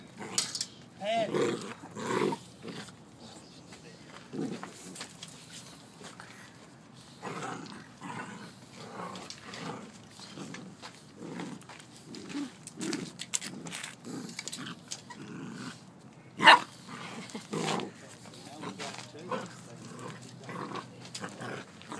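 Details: Two Golden Retriever puppies at play, giving scattered short growls and sharp yelps in irregular bursts across the recording, with a loud yelp near the middle and human voices talking intermittently in the background.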